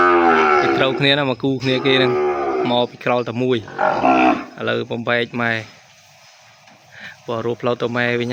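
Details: Calf crying for its mother after being separated from her at weaning in a farm pen: a series of loud, harmonic moos in quick succession, a silent gap around six seconds, then more bawling.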